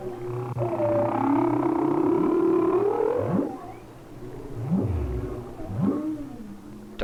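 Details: Humpback whale song off the Hawaiian coast in winter, picked up by hydrophone: a long wavering tonal moan, then several short upswept whoops repeated about once per second, with low rumble underneath.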